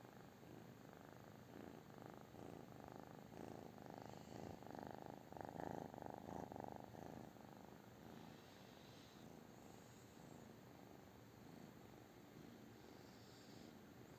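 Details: British Shorthair cat purring steadily, a low rumbling pulse that swells louder in the middle seconds and then settles back to a softer, even purr.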